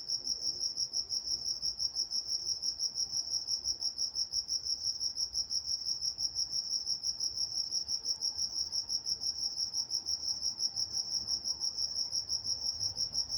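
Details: Night-time crickets recorded in Walnut, California: an unbroken series of rapid, shrill, evenly spaced chirps, roughly three per second, over a quiet low background hum.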